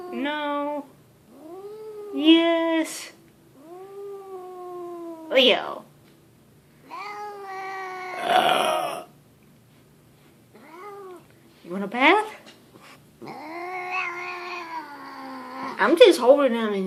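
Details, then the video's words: Leo, a grumpy domestic cat held indoors, gives repeated rising and falling yowls and moans at irregular intervals, some ending in sharp upward sweeps, interspersed with a person's burps and voice. "grumpy cat Leo"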